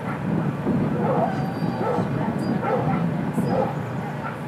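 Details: At a Saturday ASFA lure coursing final for Rhodesian Ridgebacks, the Ridgeback Lucy is heard amid a string of fairly muffled, evenly spaced barks, about one per second, with steady low background noise and distant voices.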